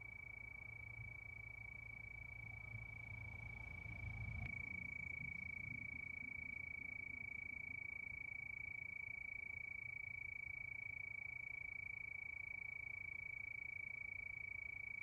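Crickets chirp steadily at night, a high, even pulsing of about four beats each second.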